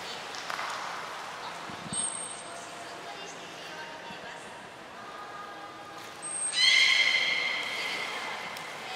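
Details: Captive belugas Gray and Mirai during a training session at Port of Nagoya Public Aquarium, 15 June 2022: after brief thin whistle blips, a bright harmonic-rich tonal call rises late and is held for about two seconds over a soft background hiss.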